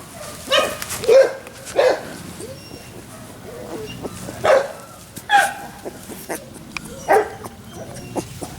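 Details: Labrador Retriever puppies, male pups among them, recorded 28 October 2013: five short, sharp yips scattered over several seconds, each a brief bright burst, with quiet rustling between them.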